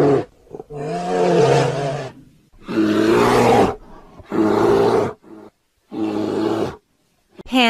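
A brown bear gives four deep, rough roars, each about a second long, with short pauses between them and no other sounds.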